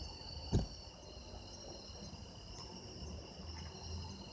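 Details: Recorded for sound effects, autumn insects keep up steady high trills while a single dull thump sounds near the start against a low background murmur.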